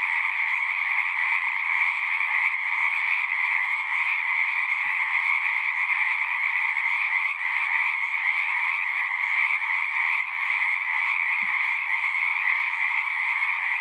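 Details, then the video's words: Frogs singing at a horse-pasture pond, recorded on a Zoom: steady massed trilling, high and buzzy, never breaking, with two brief faint clicks partway through. "Frogs singing"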